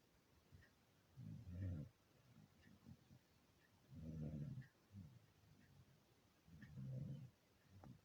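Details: Beagle snoring while asleep, deep low rasping snores about every two and a half seconds, each swelling and fading with the breath, softer wheezy exhales between; no other sounds.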